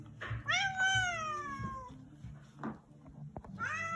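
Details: Evil, very angry house cat indoors giving a long drawn meow that rises then slowly falls over about 1.5 seconds, followed by short grunting sounds and a fresh rising meow at the end, with low handling noise beneath.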